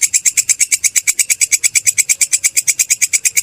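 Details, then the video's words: Grasshopper known locally as belalang kecek or kerik, a sound used for training songbirds: fast, even, scratchy clicking pulses, about three per second, sharp and metallic with no pauses. "Suara belalang kecek/kerik"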